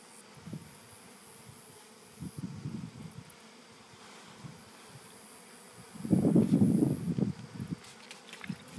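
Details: Honey bees from a captured August swarm drone in a low continuous hum that swells into a louder, rougher burst of buzzing near the end, with faint outdoor background.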